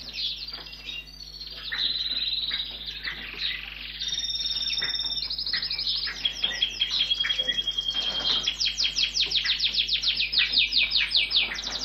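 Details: A few-weeks-old red squirrel (Sciurus vulgaris) at a rescue station gives thin, high squeaks and chirps in rapid, uneven series, begging while being fed. It was found lying in a street on 8 August 2015, and its ears opened on 10 August.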